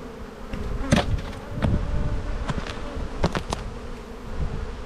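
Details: Honey bees swarming over the opened black hive in spring in Australia, a thick low-pitched drone that swells and fades, with several sharp clicks of hive tools on wood.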